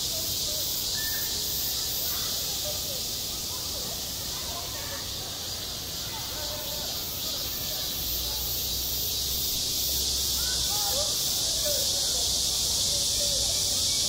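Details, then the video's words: Cicadas calling on a summer school playground: an intense, even buzz with a light pulsing shimmer at the top, a low hum joining in partway through, and faint distant chatter below. "한 여름 운동장에서 매미가 울고 있다 - 여름의 소리, 학교 종소리, 매미 울음소리"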